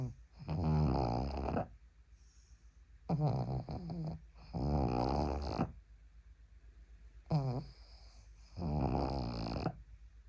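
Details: Pug snoring while asleep on a person's arm, indoors: deep, rough rattling snores in paired bursts, each a second or more long, with quiet breathing gaps between, roughly five snores over ten seconds.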